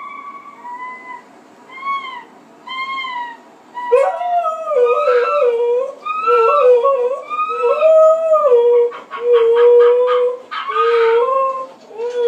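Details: Pet husky indoors, searching for the animal on the television and talking to it: a run of wavering, yodel-like howls and whines, rising and falling, some short stacked yips near the end, with faint television sound behind.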